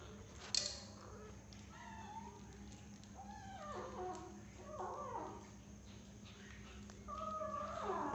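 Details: Several short bent mews from a 6-week-old kitten eating cat food for the first time, each a brief rising-falling cry spaced about a second apart, with a sharp click early on and a constant low hum beneath.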